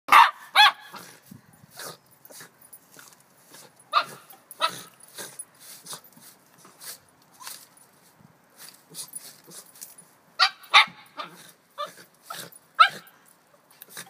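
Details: A nine-month-old male Border Terrier barks while chasing a broom as leaves are raked outdoors; sharp barks come in irregular bursts with scraping and rustling of the broom and leaves between them.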